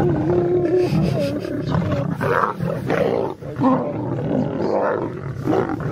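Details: Male lion approaching a female lion to mate in the wild: rough, rumbling roars and growls, several pulsed bursts with a brief dip near the middle, dense low tones throughout.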